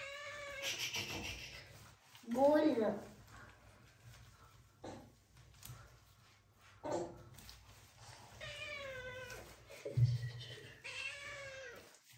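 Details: Scared kitten being bathed with shampoo by an adult and a young girl, enduring the wash without running away: several drawn-out, wavering meows, some falling in pitch, amid Hindi speech in a small room.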